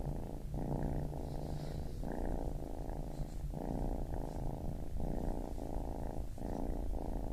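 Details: Close, continuous low purr from a baby kitten, the rumble rising and falling in breath cycles roughly once a second.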